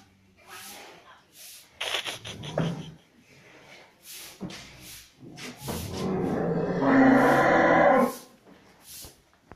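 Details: Cattle in a very clean barn on a farm: a long, loud, harmonic-rich moo lasting about two seconds, preceded by shorter grunting sounds, with rhythmic breathing or hissing noises in the background.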